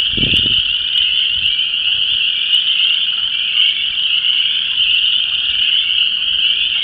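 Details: Mating frog chorus from an ephemeral pool in Vermilion County, Illinois, mixing Chorus Frogs, Spring Peepers and Wood Frogs: an unbroken shrill wall of high peeps and trills, with a brief wind thump at the start.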